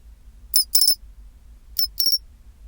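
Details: Pine cricket at 24°C giving short bright metallic chirps, two bursts near 0.5–1 s and again near 1.8–2.2 s, each a quick cluster of ringing pulses, with a faint low hum behind.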